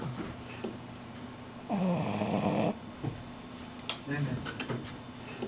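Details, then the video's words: French Bulldog napping in the afternoon gives one long, rough, buzzing snore of about a second, followed by soft snuffles and small clicks in a quiet room with a low background hum. "schnarching like a human - French Bulldog"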